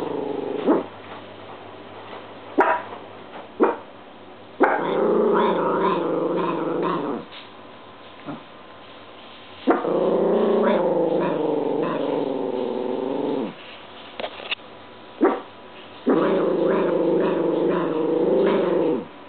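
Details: Pet dog growling and barking at a washing machine spinning differently than usual on its dry cycle; bursts of rough, throaty growl-barks lasting two to three seconds, separated by short quieter gaps and single yips.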